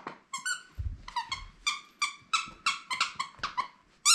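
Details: Three-month-old female beagle puppy Bongo, left alone with a sitter for the first time in February 2022, yelps in a steady series of sharp, ringing, squeaky cries, roughly three per second, in a small indoor room.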